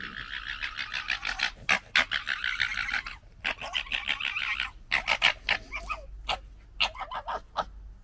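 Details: Red fox cubs from the 2021 litter gekkering while fighting: dense, harsh, stuttering chatter of rapid pulses in long bursts, broken by short gaps and sharp cackling clicks toward the end.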